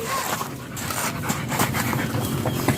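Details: German Shepherd at a stud session in Nalsian, Manaoag, Pangasinan, breathing in quick, rough, breathy bursts against a constant noisy background with faint handling sounds.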